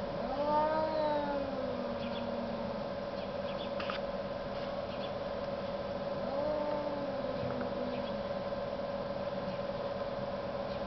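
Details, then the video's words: Cats arguing in the snow give two drawn-out, sliding yowls, one at the start and another near six seconds, each bending downward at the end, over a constant low hum with faint clicks between. "Arguing cats in the snow"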